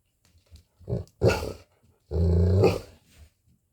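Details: Aloha, a Golden Retriever, vocalising at lunchtime indoors: a short huff, then two rough, low growling grumbles, the second drawn out for nearly a second, with faint small noises around them.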